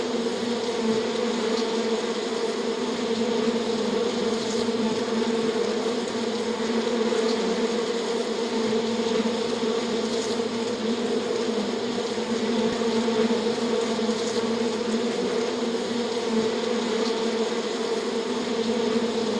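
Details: Natural bee buzzing in the wild: an even, sustained low hum with layered overtones, steady in loudness, with a few faint high ticks and clicks scattered across the background.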